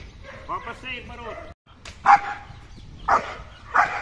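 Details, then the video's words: German Shepherd under watch command training for security work: a man speaks a command, then the dog gives three loud, sharp barks spaced about a second apart. "the German Shepherd Watch command with good Recall |security"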